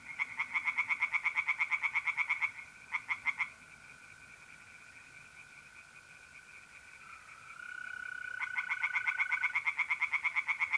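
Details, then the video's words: Pond tree frogs on an April night in north-east Italy. A rapid pulsed series is followed by a brief burst, then a long lull filled only by mole crickets' unbroken trill, before the rattling croaks resume. "relaxing singing tree frogs in pond and trilling mole crickets by night"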